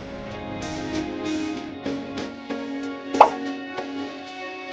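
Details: Gentle guitar-like music with soft plucked notes and a few light plops or taps, one brief sharper click in the middle; no animal sound is heard.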